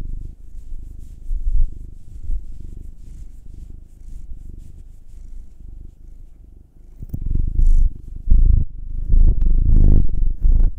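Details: Pet cat, either a nine-year-old black male or a two-year-old tortoiseshell Munchkin female, purring as it is kneaded; a continuous low throaty rumble runs throughout, growing louder and rougher in the last few seconds amid handling noise.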